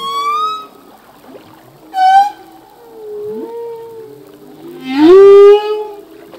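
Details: Singing male humpback whale at sea: a steady harmonic tone, a sharp short cry at two seconds, a long gently falling moan, then a loud upward-bending wail at five seconds that levels into a sustained note.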